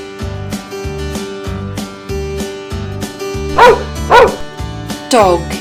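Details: Domestic dog on a farm barking: three short, sharp barks near the end, two close together then one more, over a plucked, cheerful backing tune with a voice saying "dog".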